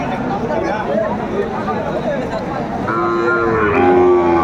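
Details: Sahiwal cattle at a busy livestock market in Kurigram, Bangladesh, 27 July 2024: after a stretch of crowd murmur, a loud, drawn-out moo with a steady tone and rich harmonics rises above the chatter near the end.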